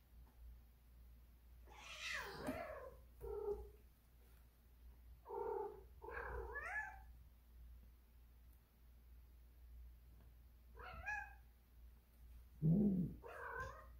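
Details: Domestic cat in heat, indoors, giving a series of drawn-out, wavering yowls and meows, about six calls over fourteen seconds, some rising then falling, one short low grunt near the end, steady low hum throughout.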